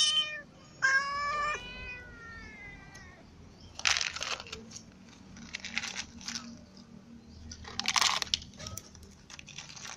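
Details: Domestic cats at feeding time, a ginger cat clawed by a newcomer white cat: two or three bright harmonic meows at the start, then crunching and bursts of eating noise with no further calls.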